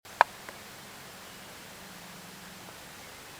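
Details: A quiet room hiss with one sharp click near the start and a faint low hum is heard, with no animal sound.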